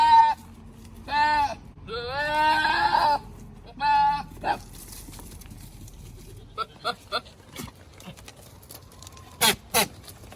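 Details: Male Nigerian Dwarf goat on a ranch, trying to control his herd: four loud, harmonic, human-like screams in the first four seconds, the third long and wavering, then scattered short clicks and taps.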